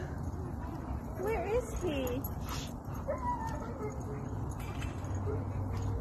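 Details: A happy German shepherd meeting friends at a playground gives a short run of high, wavering whines that rise and fall in quick loops, then thinner trailing whimpers, over steady low background rumble and distant voices.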